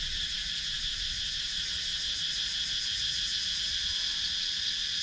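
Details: A loud, even cicada drone in Sakon Nakhon, Thailand's wooded countryside, taken on a GoPro Hero 9, with a high shimmering buzz pulsing rapidly and without pause.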